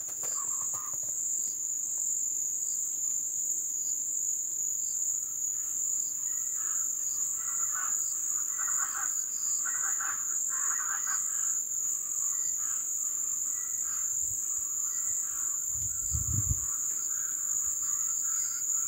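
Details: Crickets calling at the ebb season in a Brazilian jungle wetland: a steady, unbroken high-pitched shrill trill dominates throughout, with scattered soft mid-pitched chirps and croaks from other animals and a brief low thump near the end.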